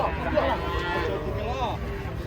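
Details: Cattle unloaded from a truck, one jumping and tumbling down; a short, arching moo rises and falls midway, mixed with men's voices and background commotion.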